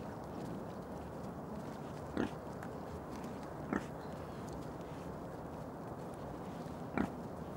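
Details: A male wild boar (keiler) gives three short, low grunts, spaced a second or more apart, over a steady background hiss.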